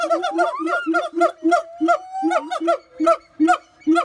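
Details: Siamang giving a rhythmic series of deep booms about twice per second, overlaid with gliding rising whoops and short barks.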